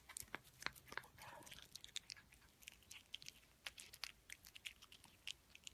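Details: Cat eating food, heard as quick crisp crunches and sharp biting clicks of chewing, coming in an irregular, steady stream throughout with no other clear sounds.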